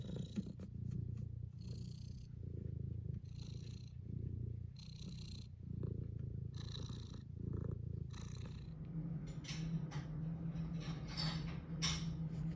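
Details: Tuxedo cat wanting to be petted, purring in a deep continuous rumble that rises and falls in slow cycles for about eight seconds, then a smoother, softer purr with scattered rustling and brief clicking noises.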